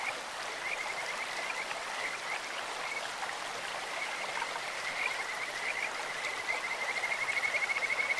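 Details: Kajika frog in a clear-flowing stream, its faint pulsed notes scattered through the rushing water before a clearer, louder trill builds in the final two seconds.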